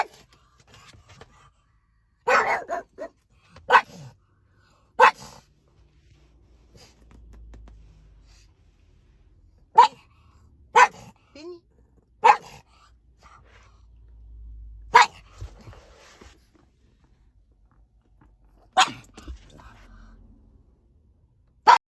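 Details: Pug (Canis familiaris), bark.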